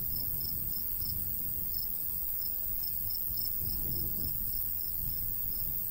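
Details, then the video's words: ['Crickets in summer countryside by a golden wheat field, sharp high chirps repeating several times a second in an uneven series over a steady low rumble of light breeze.'] "Countryside/cricket sounds"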